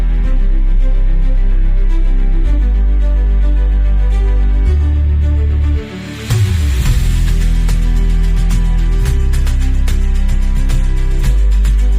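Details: Soft instrumental background music with sustained low tones and a brief dip midway, with no animal sounds.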